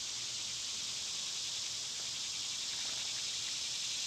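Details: Intense summer cicada song, an unbroken shrill, hissing buzz filling the whole clip.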